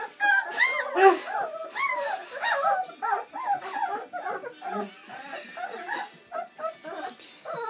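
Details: Seven Bernese Mountain Dog puppies, born on Valentine's Day 2013, having their first feed on Mothering Sunday: overlapping high, arching whimpers and squeals, rapid and irregular, several pups crying at once, with faint human voices.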